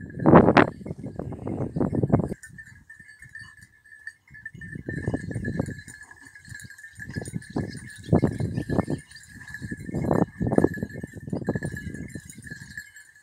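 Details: Basset hound and beagle on hare training in Cyprus: a sharp opening yelp, then a series of separate baying bouts roughly every one to two seconds, gruff and broken, while a high insect-like buzz hums throughout.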